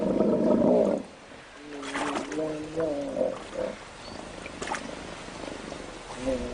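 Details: Hippopotamus vocalizing during a standoff between a young male and the dominant male in an African river; a loud rough groan opens, followed by wavering tonal grunts and splashes, then a quieter grunt at the end.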